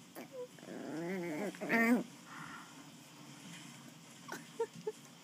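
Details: A West Highland White Terrier puppy playing with a person gives a rough, wavering growl that rises into a brief strained burst.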